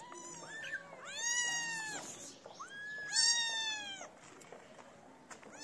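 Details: Homeless street kittens gather to be fed in the cold. Three loud, drawn-out meows, each bending up and then down, with bright overtones and short gaps between calls.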